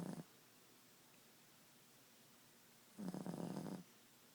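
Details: Ziggie the Boston Terrier at nap time indoors, one long gravelly snore lasting nearly a second after a brief earlier snort, with a quiet room between.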